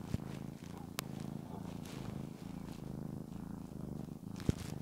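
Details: Cat called Shamotra purring under petting, a continuous low throbbing drone with rhythmic breath cycles, a couple of sharp taps and light rustling of fur.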